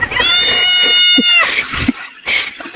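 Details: Female pet cat arguing with her owner indoors. She lets out a high, strained, steady yowl of just over a second, followed by scuffling noise and human laughter.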